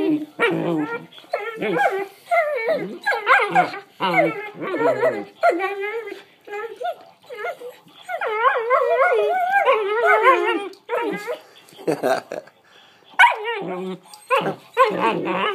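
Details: Collie puppy sisters vocalizing in a lively back-and-forth of warbling, yodel-like whines and short yips, rising and falling in pitch in rapid bursts with brief pauses, plus some human voice.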